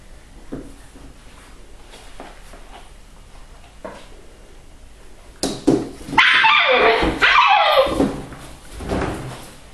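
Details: Pedigree Siberian Husky puppies, eight weeks old, born 21 January 2013 at a kennel in Lot-et-Garonne, France, filmed on vaccination day, 18 March 2013; after quiet rustling, a loud burst of high, strained whining and yelps rises then fades.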